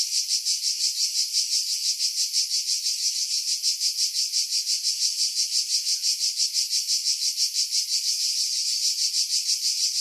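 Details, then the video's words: July cicadas in coastal pine woods on Skiros Island, Greece, about 50 m above the sea: an unbroken high-pitched buzzing with regular throbbing beats roughly three per second. "Cicada Sounds, July 2018 Skiros, Greece"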